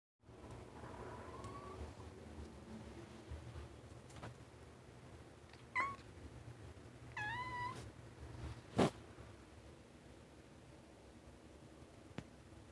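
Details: A male Scottish Fold cat gives a few odd, short chirping mews over a low indoor hum; he makes these weird noises constantly while going around.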